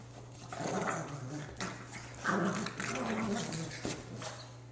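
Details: An Akita and a blind pug play-fighting indoors; rough, throaty growls rumble in bursts with short snarling peaks, mixed with a person's voice talking over the scuffle.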